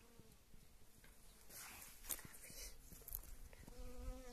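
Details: A honey bee working yellow wild mustard blossoms in early spring gives a steady humming buzz at the start and again near the end, with a broader rushing hiss and scattered ticks in the middle.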